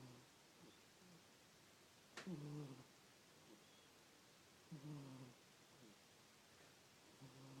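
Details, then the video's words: Sleeping house cat named Miss, snoring in a small room; deep buzzy breaths come about every two and a half seconds, the first preceded by a brief sharp tap, with soft background hiss. "Miss snores"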